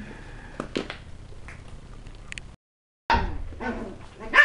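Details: West Highland White Terrier puppies at a kennel, playing at tricks and threats; a few short high yips and barks, then a brief gap and a burst of louder yapping with squeaky whines near the end.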